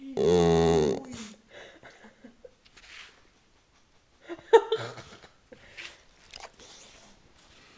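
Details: Chatty bulldog-boxer mix in a small room letting out one loud, rich, sustained moan lasting about a second, followed by scattered soft grunts and murmurs.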